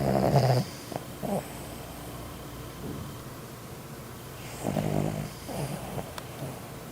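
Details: Dog snoring: low rasping snore bursts with a pause of several seconds between the first pair and the next, quiet breathing between.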